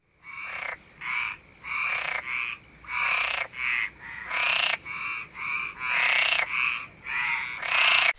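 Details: Frog croaking in quick rasping bursts, roughly two each second, fairly high-pitched and nasal, repeating steadily without pause over a faint background hiss.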